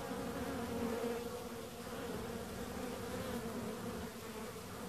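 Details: Bees buzzing in a steady, continuous drone with a low hum that stays level and unbroken throughout.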